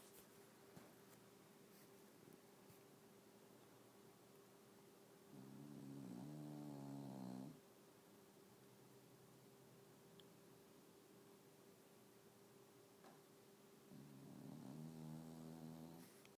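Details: Snoring English bulldog: two long, low, fluttering rasps about eight seconds apart, each lasting roughly two seconds, with a constant faint electrical hum throughout.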